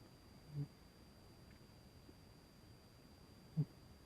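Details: Sleeping house cat named Emporess gives two brief, low snore pulses about three seconds apart, the first softer and broader, the second sharper, against faint indoor background hiss.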